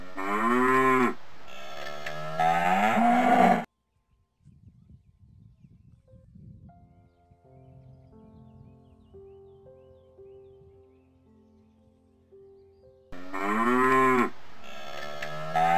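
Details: Cow mooing in a mixed wild and farm animal sound collection: long, deep, harmonic-rich moos in quick succession over the first few seconds, a near-silent stretch with faint steady tones, then loud moos return at the end.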